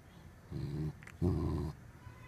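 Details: Guarding with a wrinkled-up face, a corgi growls in two low, rough bursts, a short one followed by a longer, louder rumble after a brief pause.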